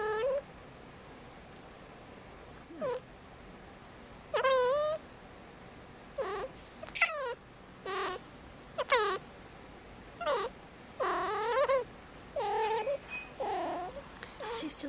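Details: Five-month-old female kitten Marmalade, an indoor cat in heat on Christmas Eve, calls again and again with short chirping meows and longer wavering yowls, irregular and crowding together toward the end, in a quiet indoor space.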